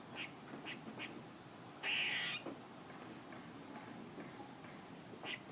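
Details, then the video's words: Squirrel calling: a few short, sharp chuck notes, then one loud buzzy, nasal note lasting about half a second, followed by more scattered soft chucks over a quiet background. "A squirrel making noises"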